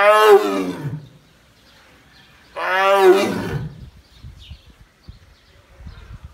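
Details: Roaring Bengal tigress at Taigan park, calling a greeting to her mate beyond the wall: two deep, strongly harmonic roars about two and a half seconds apart, then quiet low rustling and faint sounds.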